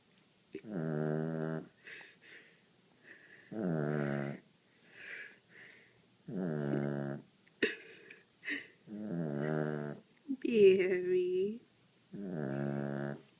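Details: Bam, a pet dog, snoring softly: drawn-out, humming, voiced snores about a second long, repeating every two to three seconds with quiet breaths between, one ending in a thin squeaky whistle.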